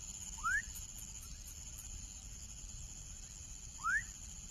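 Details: A young frog gives two quick upward-sliding whistled calls, about three seconds apart, with faint hiss and a constant high-pitched hum in the background.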